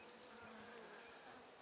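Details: Buckfast honey bees humming from frames of an opened hive on 23 May 2009, quiet after a cool night; a low steady buzz under a quick repeated high bird trill at the start and a sharp click.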